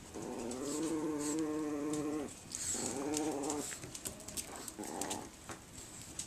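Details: Whines from 7-week-old Chihuahua pups: a sustained, steady-pitched whine of about two seconds, a shorter one after a brief pause, then two softer clipped whimpers trailing off.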